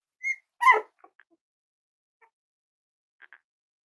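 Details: Young Cavalier King Charles Spaniel puppies at play let out one short high whine and then a louder, rougher yip, followed by a few faint soft squeaks and near silence.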